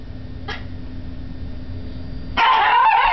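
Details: Yoshi, a Yorkshire terrier, barks at the TV indoors: a faint short yip near the start, then after a low steady hum a loud, harsh, broadband bark burst that runs to the end.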